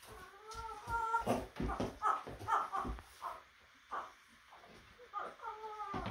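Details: Baby goats, young males, at play make odd alien-like noises: a run of short wavering bleats with quivering pitch, several overlapping in quick succession, with rustling and thumping between them.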